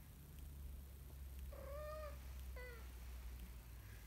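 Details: A kitten learning to walk mews twice: a longer arched cry followed by a short falling one, both thin and high, against a low background hum.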